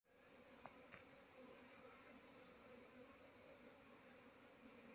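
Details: Desi honey bees at a hive said to be completely full with no space left, giving a faint, steady low hum with a soft drone throughout and a couple of brief higher ticks early on.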